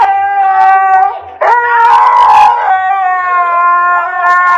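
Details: Husky puppies howl in long, steady, tonal notes with rich harmonics, one voice wavering, then a louder, rougher overlapping howl joining before settling back into a sustained drawn-out tone.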